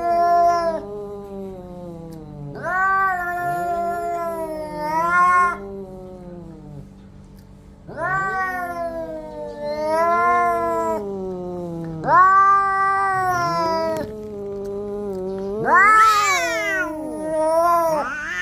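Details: Fighting orange cats let out a series of drawn-out, warbling yowls, each rising then sliding down, repeated roughly every two to four seconds, with overlapping voices near the end.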